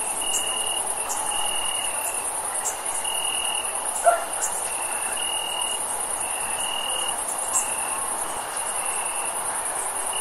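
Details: Crickets chirping on a hot, warm summer night: a steady high shimmering trill runs throughout, with a lower insect trill pulsing on and off in separate bursts over a constant background hiss.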